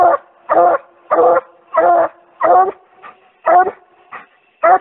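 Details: A Treeing Walker Coonhound pup barking its angry-sounding tree mouth while getting in shape for fall: harsh, harmonic barks of about a quarter second each, repeated steadily roughly every 0.6 seconds, with a few shorter, quieter yips near the end.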